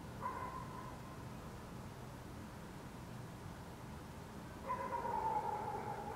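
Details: Dog barking in the city of Helsinki, Finland, at night in June 2014 under a waning gibbous Moon; two distant barks with a strong harmonic near the start and around five seconds, over steady low urban hum.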